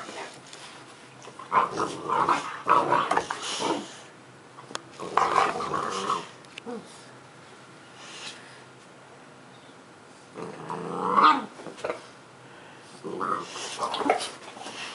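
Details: Indoor puppy at play beneath a pool table, giving bursts of rough growling and yappy barks in several clusters separated by quiet gaps, in a small echoing room.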